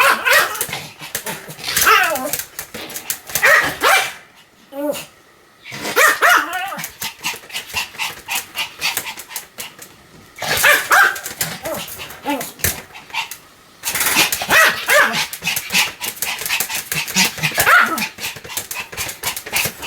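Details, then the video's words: Sam, a Pomeranian, barking in rapid high-pitched bursts of sharp yaps, three or four runs separated by brief pauses of silence. "犬の鳴き声 ポメラニアン サムちゃんの連続吠え集"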